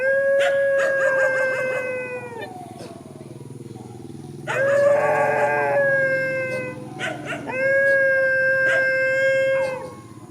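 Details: Dogs facing each other in a countryside field, howling in long steady tones, overlapping voices joining in, with a brief break of yelps between drawn-out howls.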